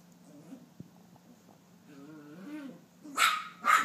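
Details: Female Maltese about nine months old, chasing her own tail indoors after a bath: low rising growls for about two seconds, then two sharp, loud barks near the end.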